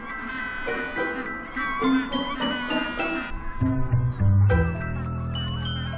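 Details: Only music is heard, a bright melodic piece with chiming tones over a low bass, and no animal voice.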